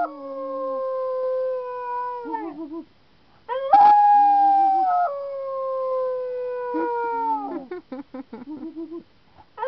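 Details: Pet dog Mia howls back in reply to her owner's howling: long, sustained, slightly falling tones that waver and break into short wobbling yips at their ends, in three drawn-out phrases separated by brief pauses, with no other background noise.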